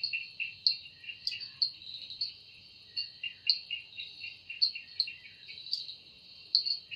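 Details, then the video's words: Cicada voice in an evening forest: relentless high buzzing tone layered with rhythmic grating pulses, loud accents recurring about once a second, background otherwise quiet. "Woundering voice of Cicada"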